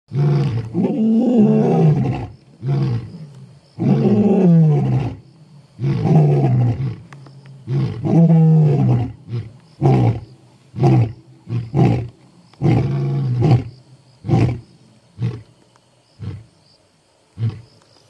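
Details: Two male lions, the Masungulo Brothers of Balule, South Africa, roar at night in deep, rumbling bouts that trail off into short grunts, announcing their presence as they head out.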